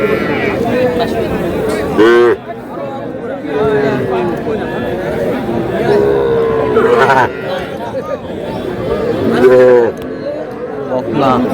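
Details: Small bull and heifer calves sold at a Dhaka market, 4 February 2026: two abrupt, high bawling moos stand out, one early and one late, amid constant price haggling and market chatter.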